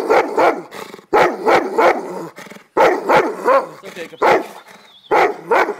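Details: Cane Corso giving bursts of two or three deep, rough barks separated by short pauses, with a person speaking between the barks.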